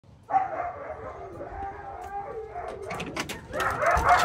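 Siberian huskies howl together in long, wavering, overlapping tones to greet someone arriving home.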